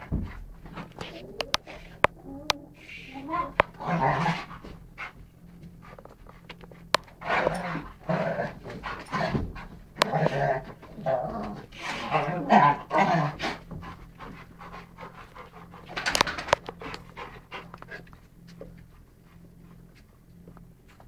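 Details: Two dogs, a Rhodesian ridgeback named Beau and a chocolate labrador named Ted, playing boisterously indoors on November 12th 2011. Bursts of rough breathy and growly play noises come in irregular flurries between quieter gaps, with a few sharp knocks.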